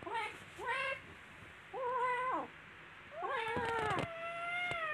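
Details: Playful kittens fighting together first give short, clipped meows in a quick series. These are followed by overlapping cries mixed with sharp clicks and scuffles, ending in a long, level, high meow.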